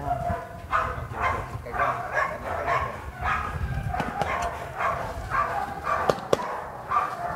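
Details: Fierce sport dog in training at Vom Almere Dog Training Centre gives repeated rough barks at an even pace, about two per second, with a few sharp clicks and background rumble.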